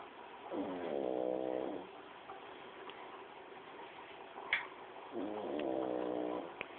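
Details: Pug named Paco asleep and snoring, two drawn-out nasal rasps with stacked buzzy harmonics, each about a second and a half, separated by quiet breathing against a constant background hum and one sharp tick.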